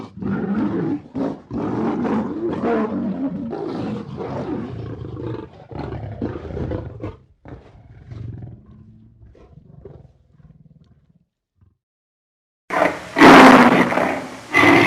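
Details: Lions growling in a long rough rumbling sequence that fades to soft grunts, followed after a gap by a loud harsh roar.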